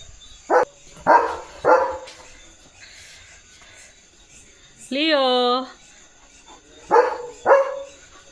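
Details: German Shepherd Leo barks in his field: three quick harsh barks, a long drawn-out tonal whine in the middle, then two more barks, with a person speaking around him.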